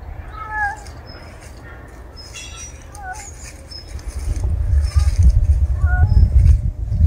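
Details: A rural stray cat gives short, clear meows that rise and then fall. They come three times, spaced about two and a half seconds apart. A low rumbling noise grows louder through the second half.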